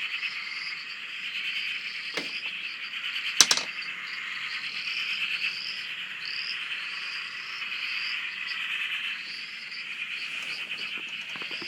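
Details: Many frogs calling together at a dam in Australia, heard from a shack; a steady pulsing, rattling drone with brief upslurred notes on top, and two sharp knocks early on.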